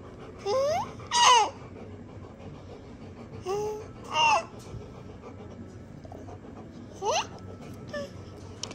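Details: Indoors, a baby babbles in rising and falling squeals with bursts of laughter about every two to three seconds, over quiet room hum and a steady faint tone.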